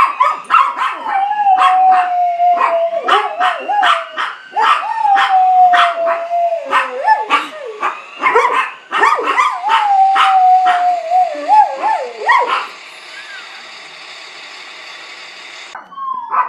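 A dog howls in long, wavering tones, sliding down and rising again, set off by a passing siren.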